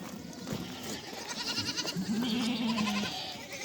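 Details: Goat kids and mothers meeting in a village so the kids can suckle; overlapping bleats build up, then one long, low, wavering bleat of about a second stands out, with higher bleats around it.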